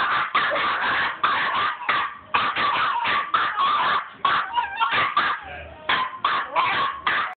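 Westie puppies yap in quick, high-pitched bursts, one bark tumbling into the next with barely a pause.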